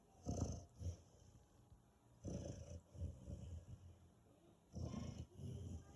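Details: A five-month-old Rottweiler puppy snores in deep, rumbling breaths, each lasting about a second.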